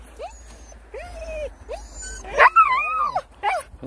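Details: Siberian Huskies on a dog-sledding trip in the snow at Daegwallyeong, Korea: a run of high, arching whines and yelps, some drawn out and wavering, with a louder excited burst midway and a person speaking nearby.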